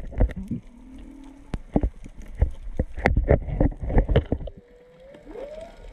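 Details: Whale song heard underwater while snorkelling at Onna, Okinawa, with three or four whales calling; a low steady moan, then a rising upswept tone near the end, amid loud clicks, pops and bubbling water noise.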